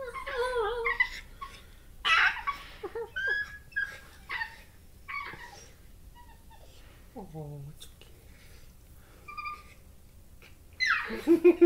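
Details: A corgi puppy makes a run of squeaky whines, yips and grumbly yodels in a small room while playing, noises owners liken to a cross between a turkey and a chimpanzee.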